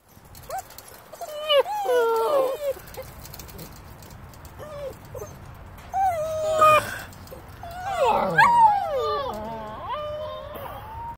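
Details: Nine-week-old German Shepherd puppies, several together, whining and yelping. High wavering whines come in overlapping bursts near the start, the middle and toward the end, some sliding up and down, with a person speaking faintly in the background.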